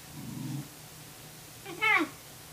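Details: Tamaskan puppy trying to establish dominance over a Norwegian Elkhound's food: a low rumbling growl for about half a second, a pause, then a short high whine with stacked harmonics that dips at its end.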